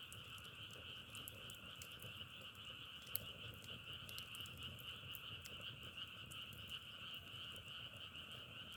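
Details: A frog chorus forms a continuous pulsing hum at two pitch levels across the whole recording, overlaid by frequent brief dry clicks like crackling.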